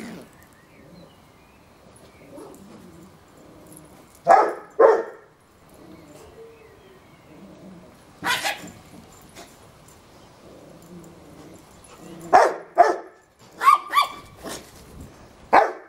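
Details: A male Yorkshire Terrier gives sharp, high barks in short bursts with quiet gaps between them while harassing a Rottweiler in the household where he is staying.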